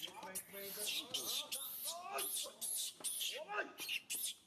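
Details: Baby monkey SUCA crying out loudly, hurting after being grabbed by SUSAN: rapid series of shrill screeches mixed with rising-and-falling arched whimpers, nearly without pause.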